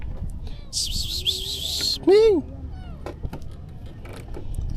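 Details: Hungry stray kitten being fed freshly caught fish: one loud, arched, rising-then-falling meow near the middle, with people talking nearby and a shrill, wavering high buzz in the first half.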